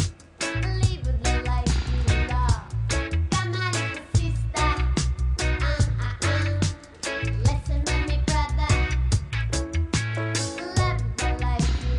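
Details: Upbeat reggae-style music with a steady bass beat, and no animal voice heard.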